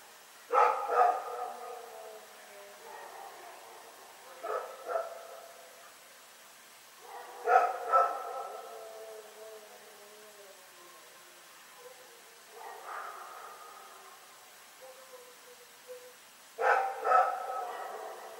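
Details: Night barking from Rex the dog, Pyrga, recorded Feb 27, 2018: bursts of doubled harsh barks come every few seconds, with softer single barks between them and a quiet background.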